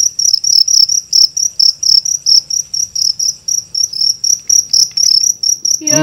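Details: Big cricket found during a nighttime cricket hunt in Indonesia gives a rapid train of shrill, ringing chirps, roughly three to four pulses a second, while soft male voices murmur underneath and a brief voice cuts in at the end.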